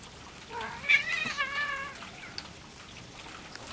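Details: Male cat Louie and a small black female stray meet for the first time on a farm; a single loud, harmonic meow rises then wavers downward over about one and a half seconds against a quiet background.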